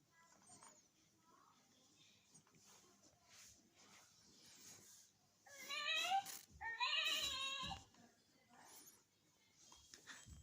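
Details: A pet goat on a Valentine's Day outing gives two loud wavering bleats in the middle of the recording, with quiet Polish speech before and after and faint rustling throughout.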